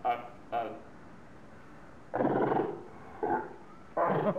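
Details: Seals at Zoo Augsburg, Bavaria, Germany, quarrelling and roaring at each other: two short harsh barks, then a longer loud hoarse roar, a brief bark and another rough roaring burst, separated by quiet gaps.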